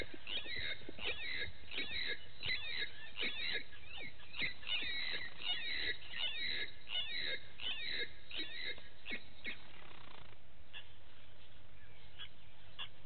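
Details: Vervet monkeys give quick, high squeaky chirps in overlapping bursts over a low outdoor rumble in the morning at the Gowrie dam waterhole, Djuma Game Reserve, Sabi Sand, South Africa. Vervet monkey.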